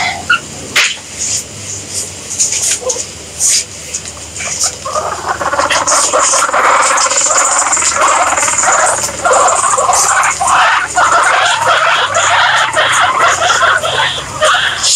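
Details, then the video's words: Guinea pigs calling, quiet scattered clicks and rustles at first, then a dense, sustained chorus of overlapping wavering squeals from about five seconds onward, with a constant high hiss behind. "Guinea Pigs Sound"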